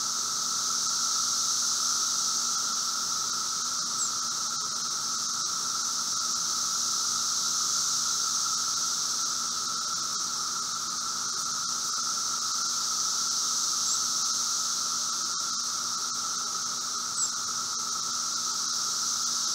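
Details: Seventeen-year periodical cicadas of Brood V, Logan, Ohio, 4 June 2016, 3:10 p.m., late-spring emergence: a constant droning chorus with a bright high band that swells and fades slowly every few seconds, steady throughout.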